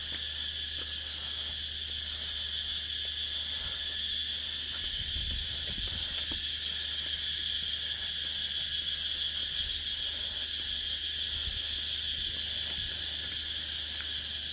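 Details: Insects calling at dusk on Nang Yuan Island: a dense, steady high-pitched chorus of buzzing and shrilling, continuous throughout with faint low thumps underneath.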